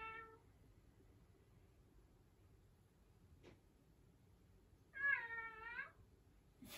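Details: House cat indoors: the tail of a meow, a long near-silent stretch with a faint click, then a single strong wavering meow, and a brief loud start of another sound at the end.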